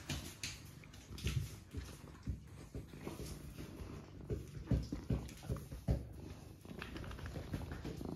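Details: Cat resting by an Aga stove in a County Kilkenny farmhouse, Ireland, on a quiet rainy day; a deep, steady rumbling purr swelling in regular pulses about every half second to second, with light indoor background hiss.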